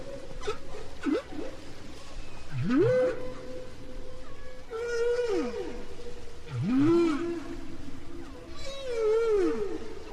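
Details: Humpback whale song from Bermuda waters, recorded five years after an earlier song, as whales keep changing their shared song: sweeping rising and falling moans and upswept whoops, with a long steady tone and booming echoes behind.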